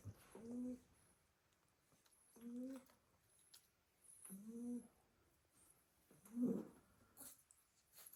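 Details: Sleeping Staffordshire Bull Terrier puppies, worn out after playing all day in the garden, snore in a basket indoors: low, buzzy, harmonic snores repeat roughly every two seconds, four in a row, with soft rustling between.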